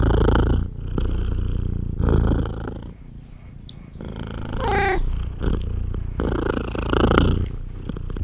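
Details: Domestic mother cat purring heavily while feeding her small kittens, a strong low throbbing rumble in breath-length waves, interrupted midway by a single thin descending kitten mew.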